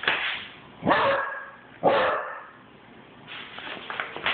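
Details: A Basset Hound puppy gives two sharp, loud barks about a second apart while running.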